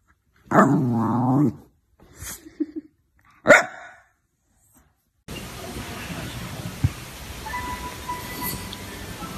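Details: Jack Russell Terrier letting out one drawn-out, howling bark, followed by a couple of short faint sounds and a sharp yip, then silence and a stretch of steady background hiss.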